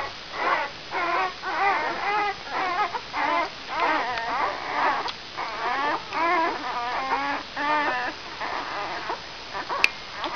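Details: A litter of five-day-old brown Labrador Retriever pups from Benja's E litter produces rhythmic trembling whimpers, bursts of quavering squeals roughly every half second, steady throughout with a brief click near the end.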